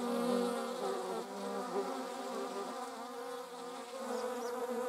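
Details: Several honey bees and wasps in flight make a thick droning buzz, loudest at the start, dipping and rising again as individual insects move nearer and farther.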